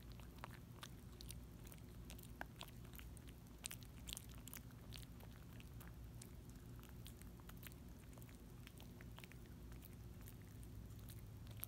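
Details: Little dog gnawing a Dentastix chew, with sharp bursts of crunching and wet licking clicks coming in quick uneven runs against a soft low indoor drone.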